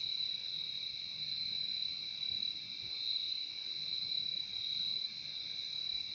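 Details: Cricket chorus forming a seamless high shimmering drone, sharp bright band over a lower one, volume gently rising and falling, soft low noise in the background.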